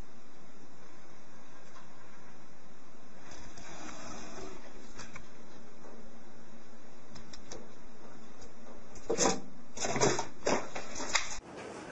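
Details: Steady electrical whine with clicks and rattling handling noises, ending in a sudden cutoff, with no animal sound.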